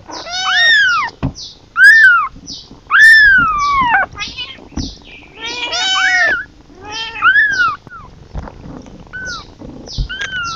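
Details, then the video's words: Kitten calling for its mother in a loud, insistent series of about eight meows. Each one bends up and then falls, some strained and quavering, and they come every second or so. "เสียงลูกแมว, แมวร้องหาแม่"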